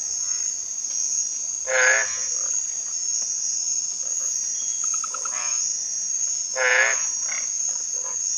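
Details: Masked treefrog from a loud night aggregation near ponds at Quepos, Costa Rica: two strong, harsh, harmonic croaking notes about five seconds apart over a steady high-pitched insect drone, with fainter calls between.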